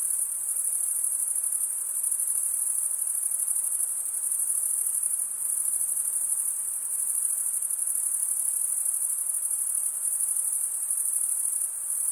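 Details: Male crickets stridulate with their wings, giving an unbroken, piercing high-pitched trill. Its loudness swells and dips only slightly over twelve seconds. Nothing else is audible.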